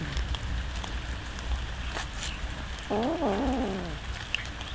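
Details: Hungry domestic cats eating raw fish at feeding time; one wavering, harmonic meow of about half a second rises and falls midway, over steady low rumble, scattered clicks and chewing noises.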